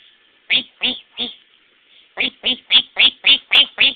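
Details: Pet dog at home, called a devil dog by its owner, giving short harmonic yaps in two bursts: three evenly spaced yaps, a pause, then seven quicker ones, steady and regular.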